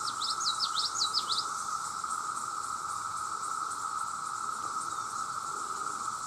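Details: Millions of male cicadas calling for mates, blending into a steady, unbroken droning hum at mid pitch with a fainter high hiss above, while a bird's quick twittering chirps rise and fall during the first second and a half.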